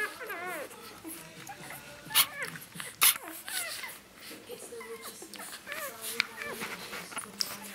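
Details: Newborn Rhodesian Ridgeback puppies, two days old, nursing together, making soft, scattered high squeaks and short whimpers that rise and fall, mixed with clicks, sucking noises and shuffling.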